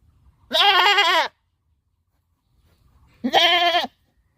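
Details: Two harsh, quavering goat bleats, each just under a second long, about two seconds apart, with near silence between.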